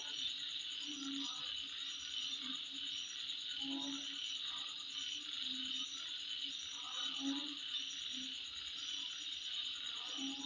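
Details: Shrill, constant insect trilling at midnight, steady in loudness, with rhythmic high pulses and occasional low guttural notes mixed into the night chorus.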